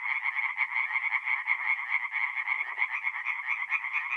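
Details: Singing tree frogs in a forest pond by night in mid-April, North-East Italy; a thick chorus of rapid rattling pulses, loudness swelling and dipping roughly once a second, with faint low notes in the background.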